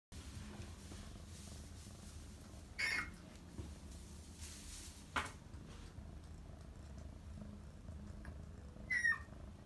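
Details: Male red Somali cat, born 8 March 2020, purring: a soft, steady low rumble runs through the whole recording, with brief louder rustling or clicking bursts near the third, fifth and ninth seconds.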